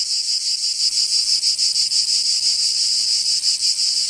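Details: Cicadas in the southern French region of Provence during summer, producing an almost unbroken, hissing high-pitched drone with only faint swells in loudness and no clear gaps.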